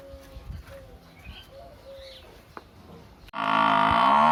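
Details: Village buffalo call arriving after three seconds of low background noise with faint whistled tones; a sudden loud, sustained harmonic moo fills the final second.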